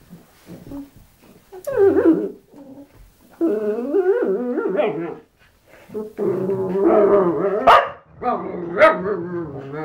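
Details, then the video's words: Dog making a drawn-out, rumbling, revving vocal sound likened to a motorbike, recorded on a mobile phone: long wavering growl-like phrases that rise and fall, in several bursts separated by short pauses. "dog sounds like motorbike"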